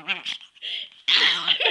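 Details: Angry Chihuahua giving harsh, tense vocal bursts: a short rasping yelp, a brief strained whine, then a longer loud snarling outburst, with a human voice mixed in.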